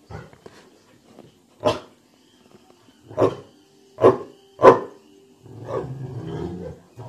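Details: Dogue de Bordeaux, a dog said to sound like a bear, giving deep short barks at irregular intervals, several loud ones between one and five seconds, followed by a low rumbling growl; quiet room background.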